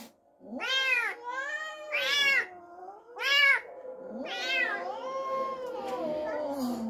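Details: Cat upset over an unfamiliar kitten brought into the home: four strident arched yowls about one per second, each rising then falling, then a long wavering low moan trailing off.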